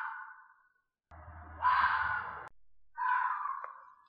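A fox gives three harsh, drawn-out screams, each hoarse and sliding slightly downward.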